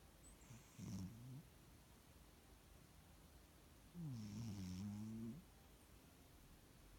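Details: Cat snoring in its sleep, giving a short low nasal snore followed three seconds later by a longer, wavering, droning one, in a quiet room.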